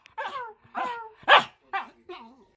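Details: An older corgi, unhappy about getting medicine put on her belly, gives a run of strained, wavering whines and yelps, one sharper and louder in the middle, as a person reassures her.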